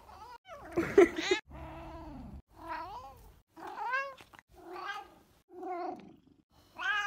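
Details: Grumpkin, a rescued cat found abandoned in a Russian monastery and now living in Vienna, giving a string of short weird little meows and chirrups, rising and falling harmonic calls with gaps between, one rougher burst near the start.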